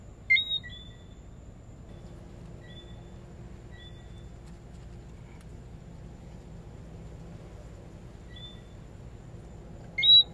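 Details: A Lesser Antillean whistling frog (Eleutherodactylus johnstonei) gives sharp two-note whistles, a low note jumping to a high one.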